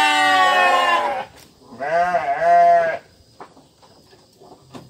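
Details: Domestic sheep bleating: two drawn-out, wavering bleats. The first lasts about a second and the second is longer, with a gentle rise and fall in pitch. A faint rustling background follows.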